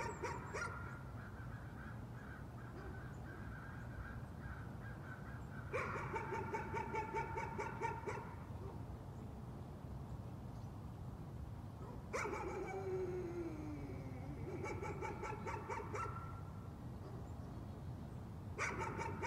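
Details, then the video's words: Dog in a bout of nuisance barking: three bursts of rapid, yappy barks separated by quieter gaps, with a drawn-out whine sliding downward in the middle burst, over a steady low background hum. "Nuisance barking again."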